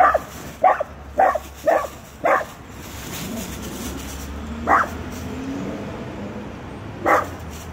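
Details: Small Dachshund confronting a full-grown Rottweiler; five quick yapping barks at the start, then scattered single barks over a low background rumble.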